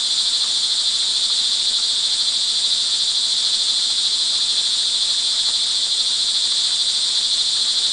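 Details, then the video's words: Rain-time cricket chorus, recorded on the evening of June 24, 2011, in Montalban, Rizal, Philippines: piercing high trills blend into one constant ringing wall of sound with slight pulsing and a soft low murmur below. "sound recording of crickets in the rain"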